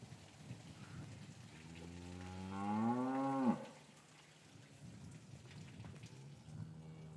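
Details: Winter afternoon in an English cattle yard with calves separated from their mothers: a single loud, rich moo swelling over about a second and a half, rising slightly in pitch before breaking off abruptly, with soft shuffling and low background rumble.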